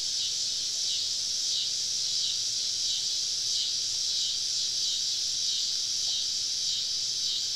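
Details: Cicadas on a summer evening in southern woods, recorded while camping: a steady, dense high-pitched buzzing chorus with no breaks, many insects droning together, faint low background rumble beneath.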